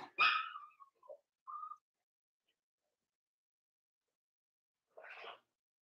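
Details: Young blenheim Cavalier King Charles Spaniel puppy in a home puppy pen gives one sharp yelp, two short squeaks, then silence before a faint, breathy whimper near the end.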